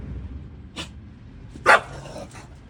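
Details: An English Bulldog barks at a passing garbage truck: a faint short yip, then one loud, harsh bark, over a steady low background rumble.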